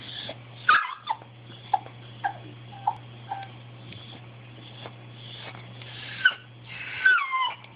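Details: Bailey, a pet dog, asking for something he wants: a series of short, sharp yips at irregular intervals, several bending into brief descending whines near the end, over a steady low electrical hum.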